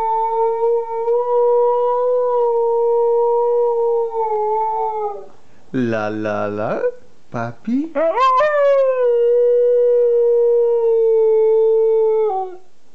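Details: Siberian Husky, two years old, howling as it talks with its owner: a long level howl, then a brief rough, wavering burst and a rising yelp that settles into another sustained, even howl.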